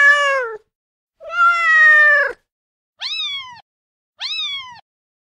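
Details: Meowing kittens: a short, lower mew, then a long sustained plaintive meow, followed by two brief high arched mews.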